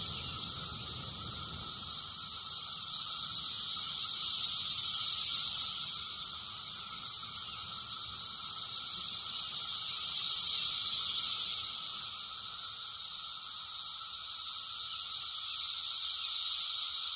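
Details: Backyard chorus of Brood X periodical cicadas, very loud and continuous, a shrill droning wall of sound rising and ebbing roughly every six seconds, with a faint lower tone running beneath throughout.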